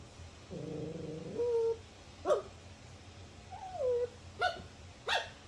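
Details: Dog making a long, low, droning whine, then a sliding, higher whimper, broken by three short, sharp yips spaced about a second apart, over a faint steady hum.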